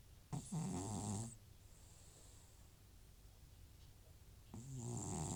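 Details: Sleeping elderly cat Butcher, FIV-positive and treated repeatedly for runny nose and sneezing, gives two rattling snores about four seconds apart, each a hoarse inhaled growl with airy hiss over a quiet room.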